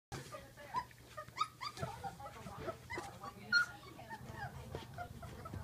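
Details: Great Dane puppies, sixteen days old, give faint, thin, quavering whimpers and squeaks, scattered through the clip, over a low room hum.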